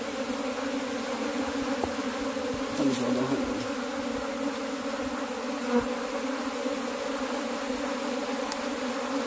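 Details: Honey bees under cultivation fill the recording with a constant droning hum; near three seconds a brief higher rasping note and a short click rise above the buzz.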